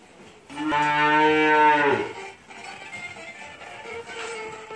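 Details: Cow on a farm near Kičevo, Lisičani, filmed 9 August 2017, gives a loud drawn-out moo of about one and a half seconds, rich in stacked harmonics and ending abruptly, then softer lowing and barn background.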